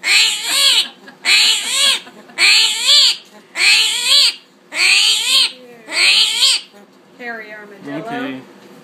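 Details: Albino little or screaming hairy armadillo screaming when it perceives a threat: six harsh, high, wavering squeals, each about half a second long and repeated roughly once a second, followed by softer broken squeaks.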